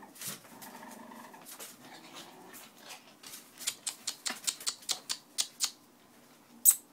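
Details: Boston Terrier puppies: a low, rumbling growl-like sound with a faint whine in the first two seconds, followed by a rapid run of sharp clicking taps and one louder knock at the close.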